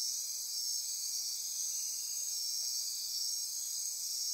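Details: Insects chorusing after dark in lush Costa Rican forest on the Osa Peninsula near Corcovado National Park; an unbroken wall of shrill, layered trilling and buzzing, constant in loudness throughout.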